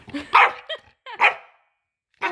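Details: Staffordshire Bull Terrier in Oslo, Norway, giving short harmonic barks and yips, two quick sharp barks then a third after a pause, indoors with a person calling it over.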